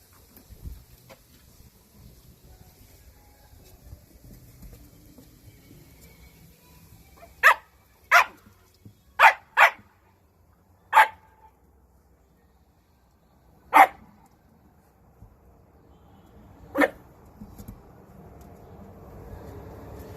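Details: Shiba Inu, a round-bodied dog likened to a raccoon dog, gives seven short, sharp barks in irregular bursts through the middle of the recording, a quick cluster of four followed by three spaced single barks, over a quiet background.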